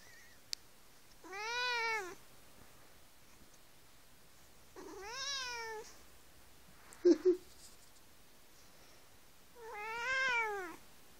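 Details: Cat sucking a faux mink blanket gives three drawn-out, tonal meows that arch up and then fall, spaced about four seconds apart. A brief double thump sounds between the second and third meows in a quiet room.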